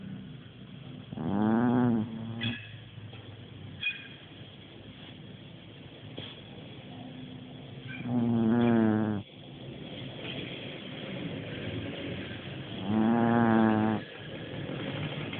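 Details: A sleeping dog snoring, three long rough harmonic snores roughly every five to six seconds, each about a second long, with quiet breathing and small rustles between them; no other voices.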